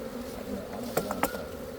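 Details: Continuous low droning of Khmer honey bees, broken near the middle by two or three sharp clicks or taps, with a faint steady whine above the hum.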